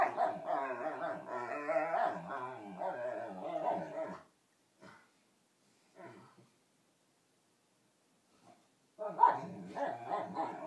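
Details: Pet dog making ridiculous whale-song-like vocalizations, serenading another dog while they play bitey-face; long warbling, wavering harmonic moans for four seconds, a few short yips in the pause, then another burst of warbling.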